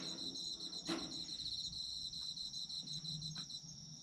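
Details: Autumn insects chirping for sleep relaxation: a dense, steady high trill in two bright layers, finely pulsed throughout, broken once near the first second by a sharp click, with faint low rumble beneath.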